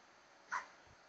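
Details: A dog named Wolf being coaxed to fall asleep gives one brief, high whining yelp lasting a fraction of a second, with quiet room noise around it.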